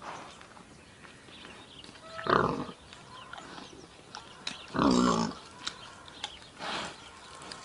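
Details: Wild boar giving two loud harsh squealing grunts a few seconds apart, with fainter snorts and rustling between them against a steady background hiss.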